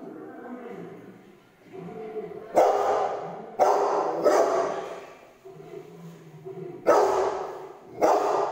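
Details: Bruno, a Rottweiler, barks at a lion on television: four loud, harsh barks in two pairs, roughly a second apart within each pair, over quieter television sound and rumbling growls between them.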